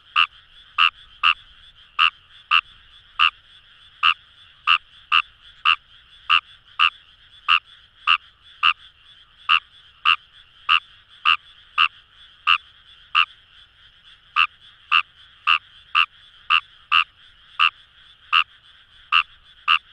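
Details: Paddy-field chorus of Kawamura's rice frog near the Kamo River, Itoshima, Japan: a nearby frog gives rapid, sharp croaks, about thirty-three over twenty seconds, with brief pauses, against a soft background drone of other calling frogs.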